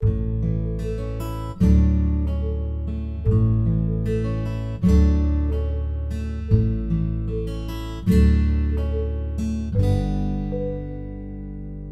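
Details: Strummed acoustic guitar chords ring out with no animal sound heard.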